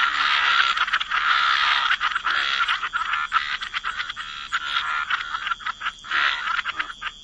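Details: Dense wetland frog chorus: many croaking frogs calling over one another in a near-continuous rasping din, with only a few short breaks near the end.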